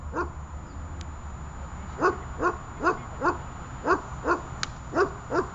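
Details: Dog barking during guard training in holding-and-barking work: about nine clipped, punchy barks at a fairly steady pace after a quiet first two seconds, with a low hum and a faint high tone in the background.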